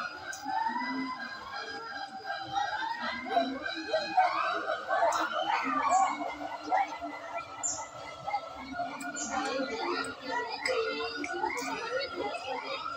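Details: A siamang at Ragunan Zoo in Jakarta gives loud, ringing whoops that swoop up and down in pitch in a dense, overlapping, resonant chorus of quick notes; Siamang.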